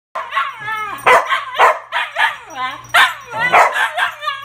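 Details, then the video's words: Two Siberian huskies indoors, eager to go outside to potty, make loud wavering howl-like yowls and vocal whines with sharp barking bursts, overlapping calls rising and falling, several per second. "Huskies Eager to Go Out to Potty"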